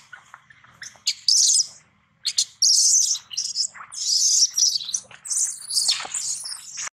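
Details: Baby monkey that has lost its mother crying loudly for her help: shrill, harsh screams in bursts of about a second, coming in quick succession and growing more continuous, with short gaps between.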